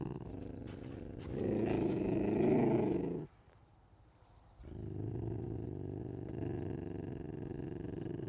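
An ocelot gives a harsh, rasping growl, pauses briefly, then growls again.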